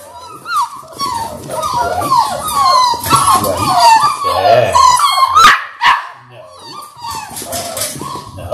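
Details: Labrador Retriever litter of six puppies, six weeks old, on a live puppy cam: a chorus of rising and falling whines and squeaky yelps from several pups, dense and continuous, with a few sharp barks and voices.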